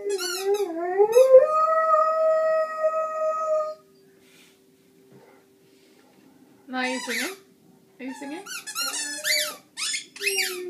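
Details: Young Rhodesian Ridgeback, fourteen months old, vocalizing at home: a rising drawn-out howl for nearly four seconds, silence, then bursts of squeaky yelps and whining moans, with brief human speech.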